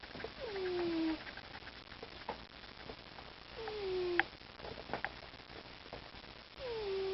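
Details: Domestic cat snoring: a thin nasal whistle that slides downward in pitch comes about every three seconds, with soft breathy rustles and a couple of clicks in between.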